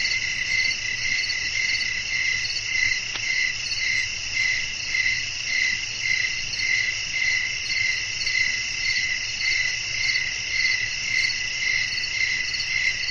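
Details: Night-time cricket chorus with wind, meant for relaxing sleep: continuous high, pulsing chirps in stacked bands, with a regular rhythmic throb of about two beats per second and a faint low rumble beneath.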